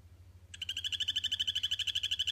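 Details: Captive-bred male Kokoe poison frog from the Tesoros de Colombia Sustainable Farm project, calling in a vivarium to establish territory and impress his tank mates. After half a second of quiet, a rapid buzzy pulsed trill starts, steady and high-pitched, over a low constant hum.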